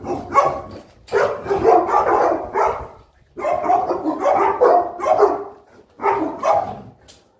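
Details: Boerboel (South African Mastiff) pair kept in Egypt during morning feeding: three long bursts of rough, heavy barking, each lasting about two seconds and separated by short pauses.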